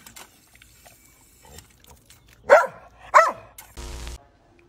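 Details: Boxer dog gives two sharp, loud barks about half a second apart, followed by a brief burst of music, over a quiet background.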